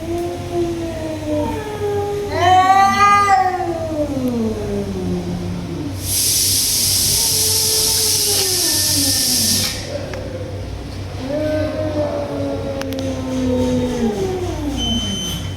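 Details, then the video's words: In a tiger cat fight, a sharp, rising scream is followed by lower, wavering moans. A loud, breathy hiss lasts about four seconds mid-way, then the drawn-out yowling resumes, over a low hum. "Tiger Cats Fight | Cats Making Fight Sounds"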